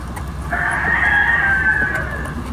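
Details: Siberian Husky giving one drawn-out, steady howl that lasts about a second and a half and holds a level, tonal pitch before fading, with faint background noise.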